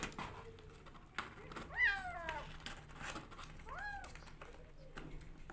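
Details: Rescue kittens fighting each other for bottle feeding indoors, giving a few short high harmonic mews, two clearer rising-falling cries near the middle, with faint rustling and low room hum.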